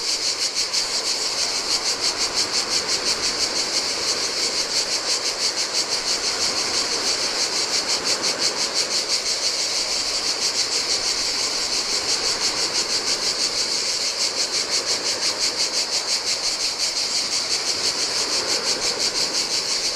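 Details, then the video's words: Long unbroken stretch of cicada song on a deserted Greek island beach, the high, rasping drone beating rhythmically around three pulses per second, layered over quiet splashing waves of the Adriatic sea. "Cicadas by the Sea - Ocean Waves & Cicada Sounds"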